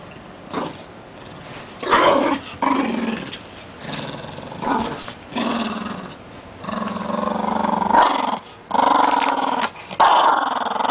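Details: Rat Terrier growling while playing with a new toy, a rough, rumbling growl in bursts of one to two seconds, rising and falling in loudness, with short gaps and a few higher snarling notes indoors.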